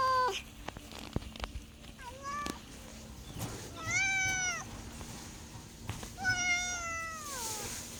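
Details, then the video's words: Cat heard in a string of meows: a few short, falling cries, then two fuller arched meows around a second long, with scattered tapping noises and a soft background hum. "MEOWING MEOWING - CAT CUTES - CAT FUNNY - SOUND CAT - MEOW CAT 01"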